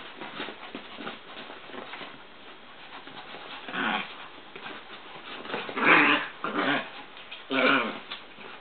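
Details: Two Chihuahuas, Joey and Papi, wrestling indoors in a work room: short rough voiced growls in irregular bursts, loudest near the middle and end, over a steady background of scuffling and pattering paws.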